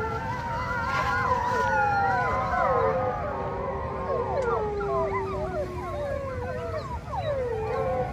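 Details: Zoo wolves in a lively group chorus. Long drawn howls are joined by many quick, wavering, yodel-like calls that bend up and down in rapid succession, voices crowding over one another above a constant low background hum.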